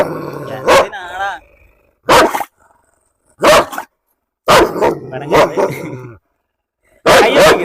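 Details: German Shepherd untied at a house in Perumbavoor for a dog challenge, barking in loud, harsh bursts: five barks or short bark runs spaced one to two seconds apart, with a person talking between them.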